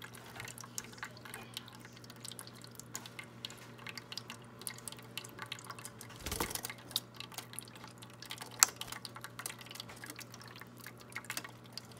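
Soft trickling and dripping water with a low steady hum, broken by a few clicks and knocks; no animal voices stand out.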